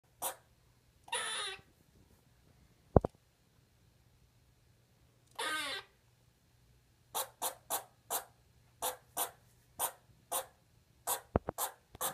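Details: Pet squirrel, indoors, finding its voice and calling for the first time: two longer harsh, buzzy bursts, then a quick run of about ten short, sharp chirps in an uneven series, in a quiet room.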